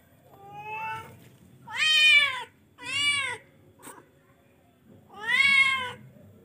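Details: Charcoal F1 cat calling with four strong meows: a shorter first one, then two loud arched calls in quick succession and a final long, rising-and-falling meow after a pause.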